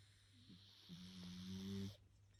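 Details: Pug puppy Fudge Brownie, nearly ten months old, asleep on the bottom of a bed and snoring like a human; one drawn-out, low buzzing nasal tone lasting about a second, over a steady low hum.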